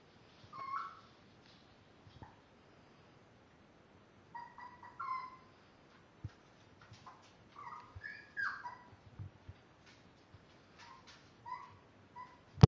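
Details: Five-week-old Miniature Dachshund puppies, born March 30th, give short, high squeaky whines and yelps in scattered bursts, some rising then falling, with soft clicks and handling rustles between calls.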